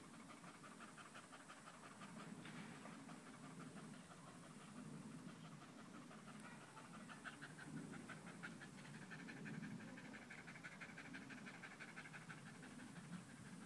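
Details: Dog panting loudly while sticking close to a person's leg, recorded 5 August 2013; fast, steady breathy huffs of about three per second continue throughout over a soft, constant background hiss.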